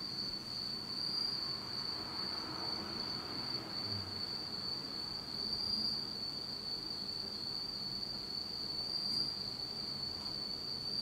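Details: Insects singing on an autumn night in Japan, in total darkness: a steady, unbroken high-pitched ringing trill holds throughout, with faint low rumbling noise beneath.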